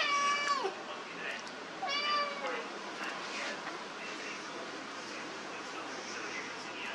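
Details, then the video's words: Domestic cat indoors playing with papers, giving two clear meows, one at the start and one about two seconds later, each with a short falling tail. Soft rustling of paper continues underneath. "Cat Playing with Papers"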